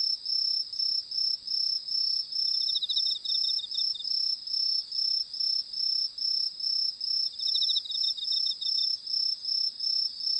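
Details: Crickets singing in darkness with fireflies flying, a continuous high shrill trill pulsed in rapid bursts, plus two brief lower rattling trills from another cricket, otherwise quiet.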